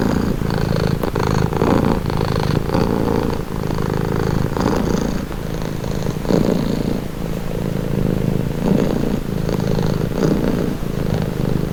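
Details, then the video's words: Steady purr of a pet cat, offered as a calming relaxing sound: deep, even rumbling vibration that swells and eases with each breath cycle, with a light airy rasp above the low drone. "Purring cat | Calming Relaxing Nature Sound"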